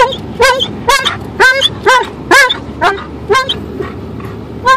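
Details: An Alaskan Malamute riding in a car on a three-minute drive to the dog park gives a rapid run of short, rich, arched woo calls, about two each second, slightly unevenly spaced, over low car rumble.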